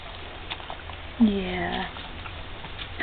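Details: Border Collie puppy from a litter at 3.5 weeks old, sired by Patch out of Pity, giving one rising-then-falling whine of about half a second, with soft rustling and a quiet room hum.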